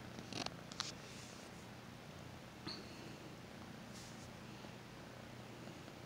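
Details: Domestic kitten purring while being petted and given attention: a soft, low, steady rumbling drone throughout, with a few brief clicks and rustles near the start and a faint tap midway.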